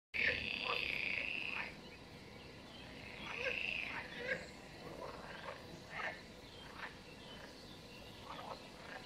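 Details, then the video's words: Frogs croak at a mountain pond hidden by wild vegetation in 2023: high, drawn-out trilling notes, the longest over a second, then shorter scattered croaks against soft outdoor background with birdsong. "CROEAKING OF FROGS"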